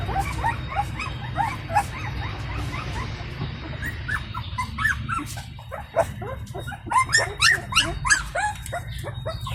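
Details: Indian pariah puppy of a free-living stray mother, crying at feeding time to get her attention: high, rising whimpering notes repeated rapidly in a long series, growing louder and denser in the second half, over steady low background rumble.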